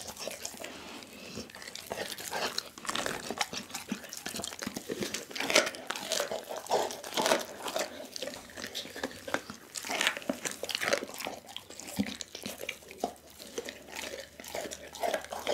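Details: Dougie the pit bull working through a whole chicken indoors: dense, continuous crackling and crunching of bones with wet smacking chews, steady and busy throughout, no other sounds.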